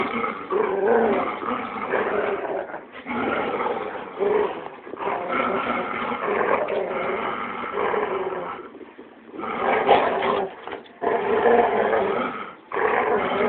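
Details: Dogs, including a Labrador, growling loudly while playing tug of war and keep away, sounding like bears; dense rough growls in bursts of one to three seconds separated by brief pauses.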